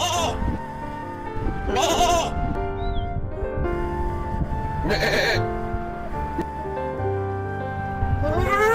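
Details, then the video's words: Farm sheep bleating: four loud, wavering, harmonic-rich bleats spaced roughly three seconds apart, over steady background music. "Sheep,Animal Sounds"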